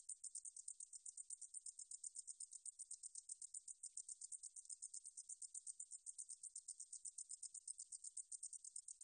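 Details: A meadow katydid (Korean name 등줄어리쌕쌔기) sings a high, dry, rapidly pulsing buzz that runs on without a break; recording from Korea's National Institute of Biological Resources, 2020.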